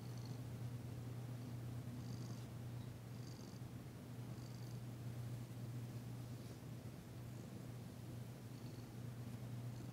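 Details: Domestic cat Danci, a tentative female, purring while enjoying a massage, her first purr heard since she arrived; a steady low rumbling drone runs throughout, with faint high soft ticks above.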